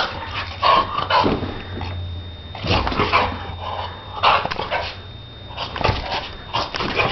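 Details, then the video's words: Donna, a Shar Pei, playing: short sharp yips and barks come in scattered bursts with whimpering notes between them over a low steady hum and a faint high tone. "Donna Shar Pei jugando"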